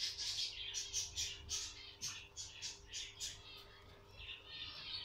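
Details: Guinea pig at birth: quiet, high-pitched squeaky chirps in rapid, uneven bursts, nearly two per second, with a low steady hum beneath.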